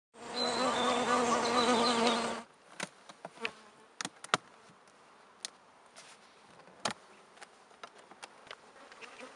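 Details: Bees in a hive where pollen is being stored: a loud, steady, low hum with layered overtones for about two seconds. It cuts off abruptly and is followed by scattered sharp clicks and knocks.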